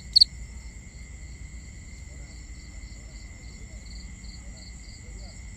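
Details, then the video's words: Nighttime crickets in binaural ambience: one sharp loud chirp at the start, followed by a soft, evenly spaced chirping run, while steady high-pitched trills hum continuously beneath with faint low background noise. "Cricket Conversations"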